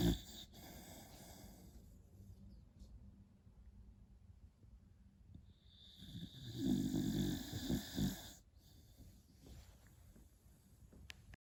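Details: Sleeping beagle puppy nicknamed Храпун Хрюкович, snoring softly: low, rough rumbling breaths throughout, swelling into a louder, raspy snore burst midway before fading back to quiet breathing, with a faint steady high-pitched hum in the background.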